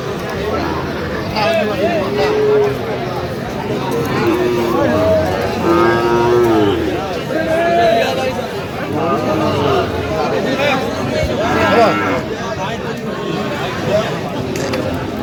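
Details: Cattle at the busy Aftabganj market in Dinajpur district, Bangladesh, where Sahiwal bull calves are traded on a Saturday; several short, tonal moos rise and fall over steady crowd chatter and talking.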